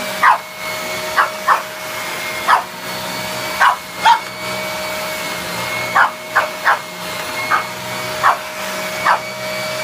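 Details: A male Pekingese gives short, sharp, high barks in uneven bursts at a running vacuum cleaner, its steady roar behind; the owner is unsure whether he wants to fight it or befriend it.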